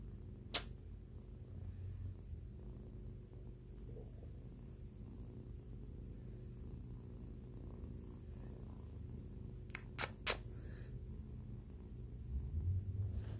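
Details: White kitten purring while grooming its owner indoors, a steady low rumble running throughout, broken by a few sharp clicks.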